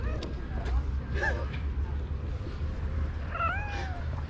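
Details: Black stray cat, upset after catching his girlfriend on a tree with a different cat. Two drawn-out, wavering meow-like wails, a short one early and a longer bending cry near the end, over low rumbling background noise.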